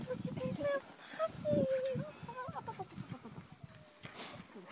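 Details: Twelve-week-old husky sled dog puppies held in people's arms in Tromsø, Norway, just after a day nap; a thin tonal whine wavers and slides for about a second, with close chatter and handling noise around it.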